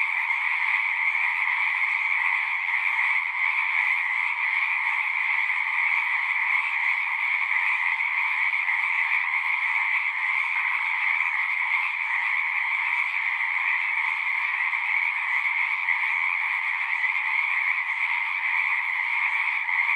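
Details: Singing frogs heard as a thick, continuous chorus, a steady high-pitched trilling hum with a fainter lower layer and slight flickers of individual voices, evenly loud for the whole stretch, no other sounds present.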